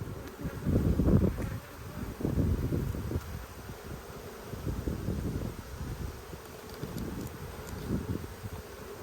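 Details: Low, churning drone of honey bees as a beekeeper works a frame of a strong colony in the Black and White hives in Australia, February 2022, during a food dearth; the hum swells and fades with handling noise.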